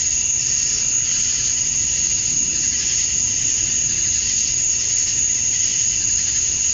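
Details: Summer dusk chorus of male cicadas in Georgia, USA, calling to draw females: a continuous piercing high whine, even and unvarying from start to end, with no other clear sounds.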